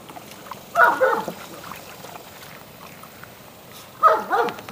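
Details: Gomer, a Labrador Retriever puppy available for adoption, playing in a pool: two short, tonal whining yelps with wavering pitch about three seconds apart, with faint splashing and quiet background between.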